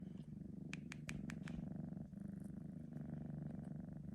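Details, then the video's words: Senna, a male Sphynx cat three months old, purring after a nap, filmed on an iPhone 12 Pro Max: a steady low rumbling purr throughout, with a few brief sharp clicks early on. "3 months old Sphynx Cat purring and yawning after a nap"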